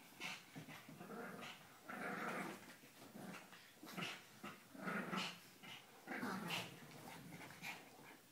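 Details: Two puppies playing together, trading low rough growls and snarls in repeated bursts, with panting and scuffling between them.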